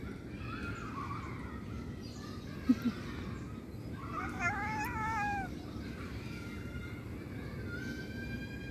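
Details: Cat meowing: a series of wavering, drawn-out meows, the loudest near the middle rising and falling in pitch, over steady background hiss with a couple of sharp knocks.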